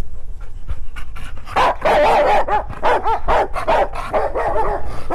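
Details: Two Rottweilers, one the other's son, trade rumbling growls and moaning, arched vocal sounds in a rough back-and-forth exchange; unclear whether they are fighting or talking.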